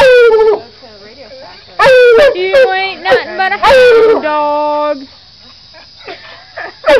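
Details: Pet coonhound giving loud, drawn-out howling bays with rich harmonics, several sliding and wavering notes, some falling in pitch, broken by short pauses and quieter whines between bursts.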